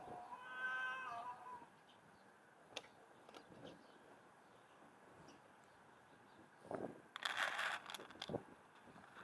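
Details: A playful white cat, said to be mad at its owner, opens with one drawn-out, clearly harmonic meow lasting over a second, followed by quiet, then scattered rustling and handling noises.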